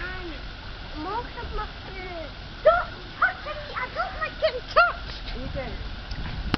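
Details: Meerkat (Suricata suricatta) family, including a young one, playing in an enclosure, gives quick, overlapping squeaky chirps and arched peeps while a person talks nearby.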